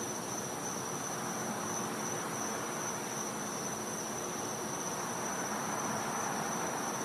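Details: At night in winter in a Florida home's back yard, a cicada gives a steady, unbroken high-pitched whine over a soft hiss of night air; finding: cicada.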